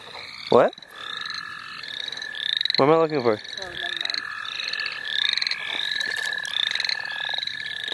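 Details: Frogs calling together at the St. Olaf College Natural Lands while people catch them: a continuous shrill trill and many brief upslurred chirps overlap, broken by a loud human voice around three seconds and a sharp sound early on.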